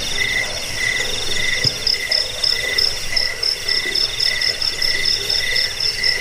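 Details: Chirping crickets, played to scare rats, bring sleep and train birds; several high, ringing trilled pulses repeat in uneven bursts over a faint low rumble, one brief low thump midway.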